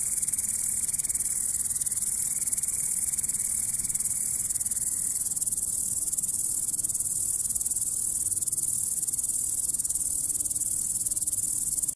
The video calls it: Как стрекочет кузнечик [Звуки кузнечика] - Насекомышки